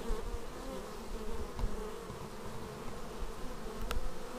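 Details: Bees coming in to their beehive, captured with a Xiaomi Yi action camera: a quieter, steady background hum of wings with faint wavering tones and occasional soft thuds.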